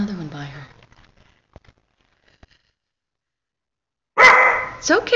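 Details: Indoors in December 2012, an Old English Sheepdog puppy meets its first tennis ball. A woman speaks briefly, a long quiet pause follows, then two abrupt, harsh barks close together.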